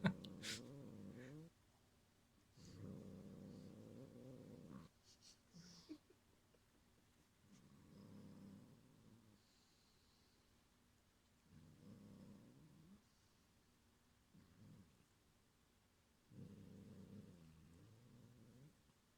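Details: Repeated threatening growls from the house cat Gyopi, defending its string toy Cotton-sensei from another cat: short rumbling bouts of two to three seconds separated by quiet gaps, with a few faint clicks and rustles.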